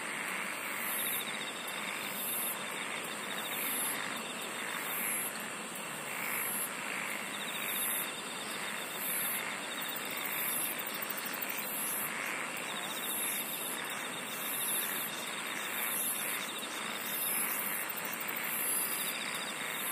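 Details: Singing insects in a relaxing nature recording: several high continuous trills layered together, one very high rapidly pulsed trill and a lower buzzing pulse train, over a steady hissing chorus.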